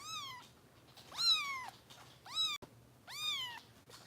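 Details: Bottle-fed foster kitten Harper, Kitten Rescue volunteers, Los Angeles: four bright, piercing meows in quick succession, each sliding up sharply and then drawn down in a long falling tail, with brief pauses between and faint indoor hum.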